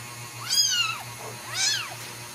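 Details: Newborn Ragdoll kittens raised in a central Kansas home cattery, mother cat nearby: two high, arched mews about a second apart, each rising and falling with bright overtones, set against a constant low electrical hum.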